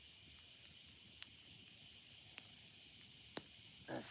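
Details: Crickets on rural land near a swampy pond chirp in steady, repeated high pulses, rising and falling, during a drought, with a few sharp crackles from a sizzling campfire.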